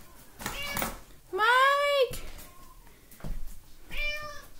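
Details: Talkative house cat indoors giving a long, loud, arching meow followed by a shorter, softer meow a couple of seconds later, with a person speaking nearby in a small room.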